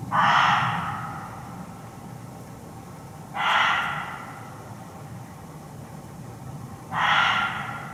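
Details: Reeves's muntjac barking from hiding in Hertfordshire woodland, heard close up: three harsh, chesty barks spaced about three and a half seconds apart, steady rhythm, over quiet low-pitched background noise.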